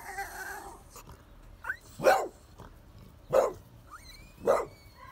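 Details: A French Bulldog guarding a Pitbull and a Bull Terrier gives three sharp, gruff barks about a second apart, with a brief whine between them.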